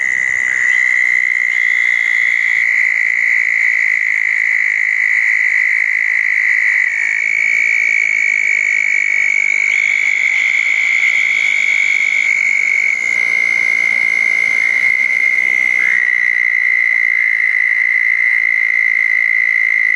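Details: Chorus of southern toads gathered at a pair of small ponds after a June 2014 thunderstorm at night. Overlapping sustained high trills run continuously, shifting slightly in pitch as callers hand over, with faint higher buzzes.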